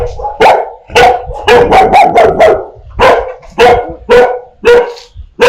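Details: Dogs barking fiercely at strangers, mixed with puppies barking at familiar people: dense bursts of sharp, harsh barks, some overlapping in quick runs, then spaced single barks about every half second to second.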